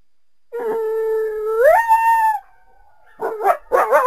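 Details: Coyote calling through the trees on a winter day in a backyard: one long steady howl that jumps upward in pitch partway through, then breaks off into a few quick, yelping yips.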